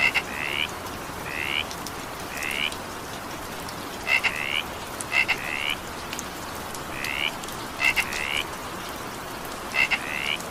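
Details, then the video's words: Frog calls in evening rain: brief rising croaks at about twenty-two per minute, spaced unevenly, with crisp clicks before some notes and a continuous wash of rain underneath. "20 minutes evening rain sound effect with frog sound"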